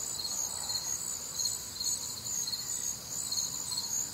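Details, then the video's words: Night chorus of crickets recorded on a warm, humid Midwestern summer evening, layered bright trills holding high with rhythmic chirps pulsing roughly twice a second beneath them, no other clear sounds. "Night Time Cricket Sounds"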